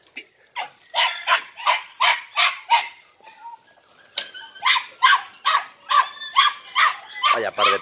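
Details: Three-and-a-half-month-old Podenco Andaluz pups (Coco, Camarón, Roca, Última) entering the picadero for the first time give a steady stream of sharp, high yips, about two or three a second, after a brief pause midway.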